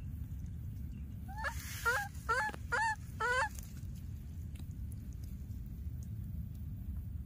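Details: A baby monkey keeps calling for its lost playmate. Five quick, strained cries, each with a sharp pitch bend, come in about two seconds, then quiet apart from a low background drone.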